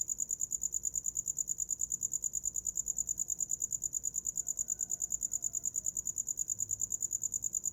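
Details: Night cricket for sleep, chirping in a relentless, evenly spaced series of high, ringing pulses, about eight each second, with a dim low-frequency hum underneath.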